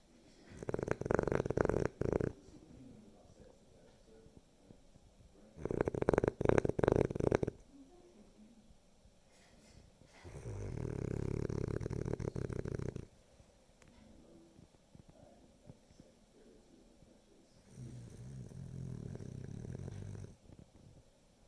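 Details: A dozing Boston Terrier snores in slow cycles: a loud, rattling inhale, then a softer, low rumbling exhale.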